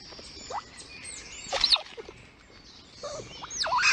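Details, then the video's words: Mother squirrel Lilli calling to her kits at the nest on a livestream camera: a few sharp, bending squeaks in separate bursts, with bird-like chirps in the background. "Lilli squeaks at the kids"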